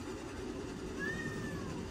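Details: Cadbury, a talkative male Ragdoll cat, gives a single short meow that rises then slides down, over low room rumble, complaining after pushing his toy under a door and being unable to reach it.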